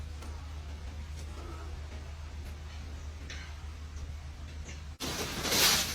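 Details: Quiet forest honey harvest with a low steady hum, faint scattered rustles and knocks, then a sudden burst of louder hissing noise in the final second; no clear animal voice.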